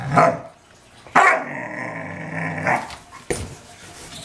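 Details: Dobermann aggravated by deer in the yard, giving a sharp bark, then a sustained low snarling growl for about a second and a half, ending in another bark and growling rumble.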